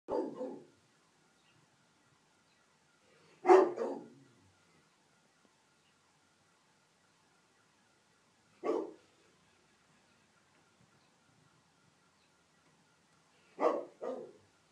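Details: A pet Rottweiler indoors gives deep, single alert barks spaced several seconds apart, set off by a street-parked car's alarm; it was recorded from inside the house through a glass door, so the sound is faint.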